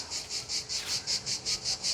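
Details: Cicadas sing all day at a family campsite near a swimming lagoon, a harsh, high buzz pulsing about five times a second.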